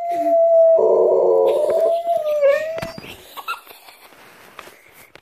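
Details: Basenji; howling song; singing along with recorder music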